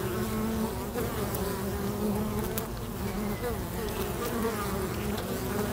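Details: Many bees busy at a local bee box, giving a steady, low, droning buzz that swells and dips as individuals pass close, with a few faint clicks over the continuous hum.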